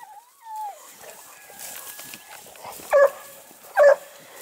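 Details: Kennel-kept Dogue de Bordeaux dogs at an amateur breeder: a short whine opens, then after a quiet stretch come two heavy barks under a second apart, as a woman scolds them in Italian.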